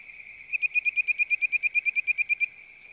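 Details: A bird-voiced treefrog (Hyla avivoca) gives a quick run of clear, whistled notes, like a bird calling.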